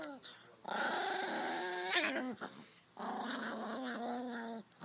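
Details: Chihuahua growling: a raspy, sustained snarl with whining overtones, then a short pause and a second long growl whose tone wavers and drops slightly, in a quiet indoor setting.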